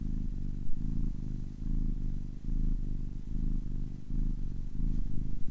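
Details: Ten-week-old kitten purring steadily, a low rumbling throb pulsing in rhythmic breaths roughly every half second, close and continuous with no other sounds.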